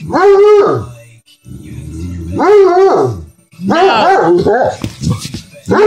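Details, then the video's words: Bloodhound dog protesting vocally after being told "no" indoors: three drawn-out moaning howls that rise and fall, each under a second, with a person repeatedly saying "no" between them. "Bloodhound "Elvis" Doesn't Like "No""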